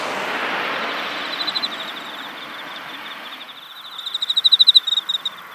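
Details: Insects chirp in high, rapid pulsed trills over a soft rushing background, recorded in a cosmos flower field in autumn.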